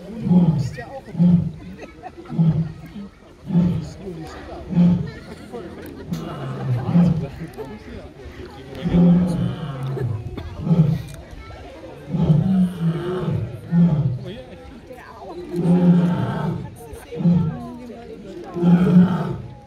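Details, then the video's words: Lion roaring, one of several lions: a series of deep, low grunting roars repeated roughly every second, each swelling and fading, with faint background rumble throughout. "Lions Roaring"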